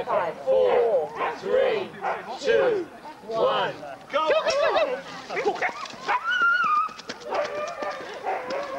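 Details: Sled-racing huskies in the Forest of Dean, November 2001, on old VHS tape: an excited jumble of rising yelps and short barks, then a thin drawn-out whine near the end, over human chatter.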